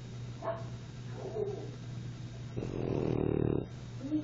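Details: A French bulldog snores during naptime: short breathy sounds, then one longer rattling, pulsing snore lasting about a second, over a steady low background hum.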